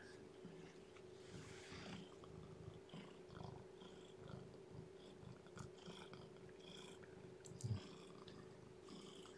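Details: Domestic cat indoors during the feeding and warming of a weak, underweight newborn kitten: low, rough purring pulses throughout, mixed with soft chewing and licking clicks over a steady electrical hum.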